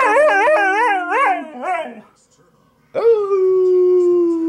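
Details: Domestic dog attempting a howl, giving quick wavering warbles that dip and rise about four times a second, then a pause and a steady, slowly falling drawn-out tone.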